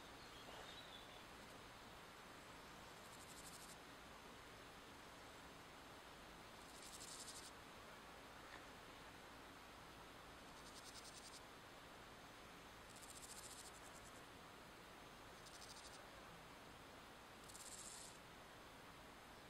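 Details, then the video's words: Meadow grasshopper male at Wassenaar on 16 July 2014 gives brief, high, rasping pulse trains lasting about a second, spaced two to four seconds apart, over a broad hiss of outdoor background noise. "Chorthippus parallelus, roepzang en rivaliseren"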